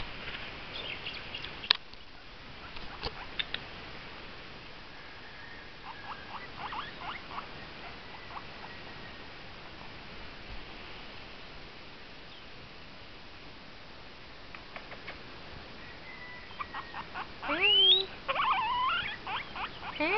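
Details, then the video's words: Domestic pet guinea pig making noise indoors: short pulsed runs of sharp chirps come in scattered groups, then a louder stretch of quick rising and falling squeaks near the end, over faint steady hiss. "my guinea pig making noise"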